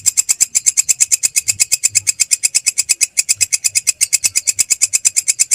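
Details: Rapid, metallic ticking from a belalang krek grasshopper, recorded as songbird masteran, pulses about seven times a second with a slightly uneven beat and a faint low hum underneath.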